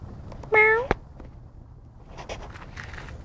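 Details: Black cat in a back yard giving one short, clear meow that rises and then falls, followed by a quiet outdoor background hum.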